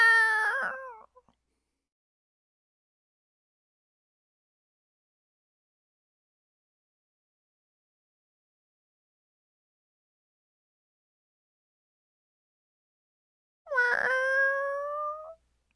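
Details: Lonely stray cat at the beach giving two separate meows, one at the start and another near the end, each a short harmonic cry with a slight pitch bend, separated by long silence.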